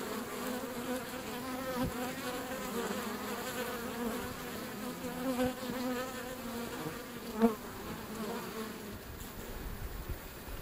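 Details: Wild colony of European honey bees at their hive entrance by a river, a loud continuous buzz of many wings with wavering hum tones and occasional sharper close passes of single bees.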